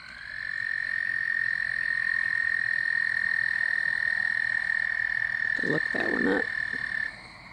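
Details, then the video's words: Night calls by a pond near a house, where Gray Treefrogs and American Toads call in spring and summer. One long, even, high trill holds for about seven seconds; a brief lower burst of other sound interrupts near the end. "Toad and Frog sounds in the Night"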